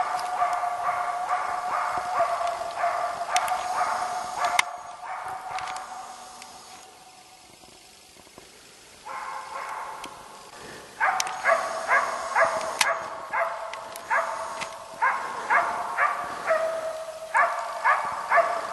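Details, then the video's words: East Siberian Laika barking at a moose during a Finnish moose-hunting trial in forest: rapid series of sharp barks, roughly two per second, pausing mid-recording then resuming in an irregular run. "Itäsiperianlaika FI KVA Ahmarakan Veran hirvihaukkua"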